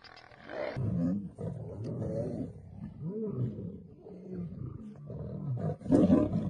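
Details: Lions fighting, a female attacking and biting a male: rough, throaty snarls and growls that rise and fall in waves, with harsh bursts and a louder snarl near the end, continuous and unbroken.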